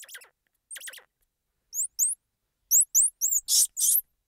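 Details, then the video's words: Squirrel monkey giving a mix of sounds: short rough squeaks first, then high, clean upward-hooked chirps in quick pairs, ending with two loud, noisy, buzzing bursts. Background silent. "Squirrel Monkey Sound"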